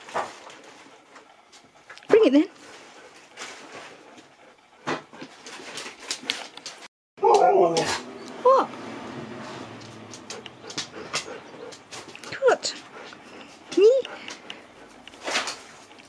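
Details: Nook, a Siberian Husky at home, talking and telling off her owner: scattered short, rising whines and yowling vocal bursts separated by pauses, with faint indoor room sounds.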